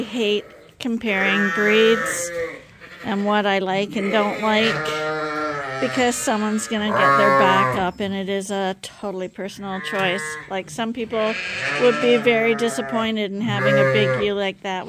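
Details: Lambs at Ewetopia Farms being bottle fed from a hand-made feeder bleat repeatedly, many quavering calls overlapping in a busy chorus, with a man speaking in the background throughout.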